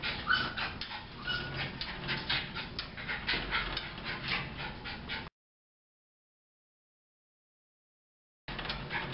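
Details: At the Thunder Bay Veterinary Hospital, Sookie the bouncy Jack Russell Terrier gives rapid, hoarse whimpers, roughly four a second, in a stretch broken by a short silent gap.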